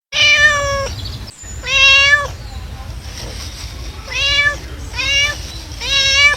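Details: Domestic cat meowing, a call said to attract other cats: five drawn-out, clear, harmonic meows, each about half a second to a second long, spaced unevenly, with a faint low hum behind them.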